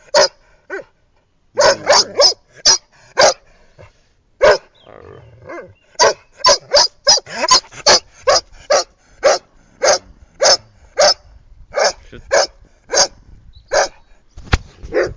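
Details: Playful female Irish red setter out walking round by the pool in 2010, barking over and over in a long run of short, sharp barks, sometimes clustered in quick pairs, with brief pauses and faint low growly sounds.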